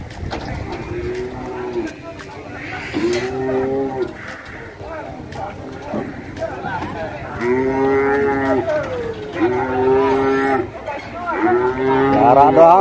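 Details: Agitated cattle at the Masbagik animal market in NTB mooing repeatedly: long, low, harmonic moos with a slight bend, in bursts every one to two seconds. Overlapping callers and background crowd and music noise are audible.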